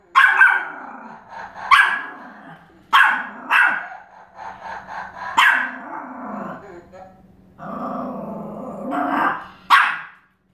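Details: Pomeranian barking and growling at a flashlight that plays animal sounds, with sharp bursts of barks separated by short pauses and a drawn-out growling stretch near the end.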